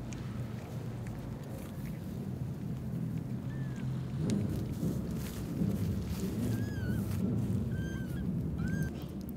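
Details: Newborn kittens trapped in an old warehouse crying and pleading in the evening: four short, high mews with a brief downward bend, scattered through the second half over a steady low rumble.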